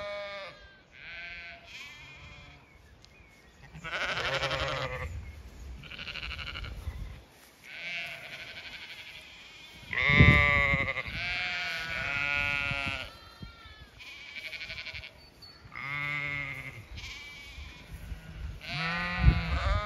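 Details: Zwartbles sheep of the main flock on a regenerative farm in County Kilkenny, Ireland, as the owner walks among them with dogs following: many loud, harmonic, wavering bleats overlap in quick succession, some rising and falling, with short gaps and faint background noise.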